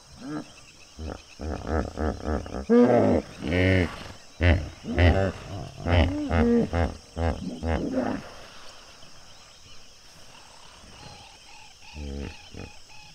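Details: A hippo pod at sunset at Duba Plains, Okavango Delta. A loud series of deep, wheezing honks pulses about twice a second for roughly five seconds, then fades. A couple of softer grunts come later, and faint insects hum underneath.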